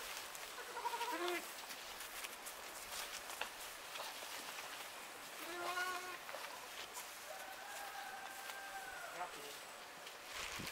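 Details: Six-month-old Romanov lamb raised on artificial feeding, given dry bread rings: short quavering bleats near one and six seconds, then a drawn-out steady bleat of about two seconds, with a person talking and handling noise throughout.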